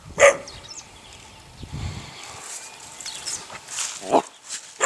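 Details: A litter of eight-week-old puppies belonging to a neighbour's dog. A sharp, high yip opens, followed by quiet rustling and soft scattered noises, then another short yelp toward the close.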